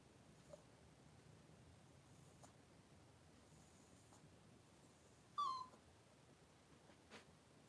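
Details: Cavalier King Charles Spaniel birth, with mother Daisy delivering six puppies within two hours indoors: one sharp, high squeal that drops quickly in pitch, lasting under half a second, surrounded by near silence and a few faint soft clicks.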